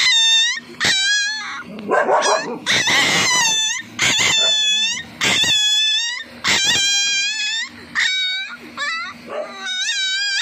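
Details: Daida, a 3-week-old Siberian Husky puppy, crying out while pooping, with his mother there. High, wavering harmonic whines and yelps come in bursts about once a second, separated by short silences, with some noisy squeals between.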